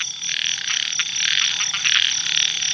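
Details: Evening pond after heavy rain, filled with a chorus of small paddy frogs (khiat). Countless high, grating croaks overlap into a steady shimmering wall of sound that swells slightly and has short bursts standing out, and no other noises are clear.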